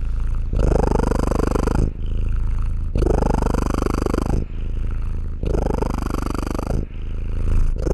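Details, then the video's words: Domestic cat purring in a close recording: a loud, low, rumbling purr in long phases lasting about one to one and a half seconds, alternating with shorter quieter phases as the cat breathes in and out, steady throughout. "Cat purring sounds for relaxation and meditation"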